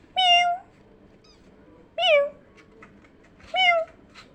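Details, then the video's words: Kittens reacting to a sound resembling their own meow: three strong, bright meows about one and a half seconds apart, the first long and level, the others rising and bending down. "when this kittens heard the sound like them ~meow~"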